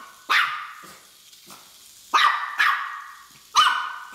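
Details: Miniature Pinscher dog chasing a Hexbug Scarab toy, letting out scattered sharp barks at uneven intervals, with softer gaps between and a cluster of loud yaps toward the end.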